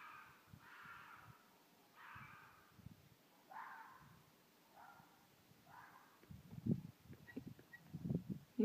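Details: Wild red fox mated pair calling at night in Midhurst, England, a mating call from animals hidden in bushes near a village. Harsh, raspy cries are repeated about every second or two, with low thumps and rustling toward the end.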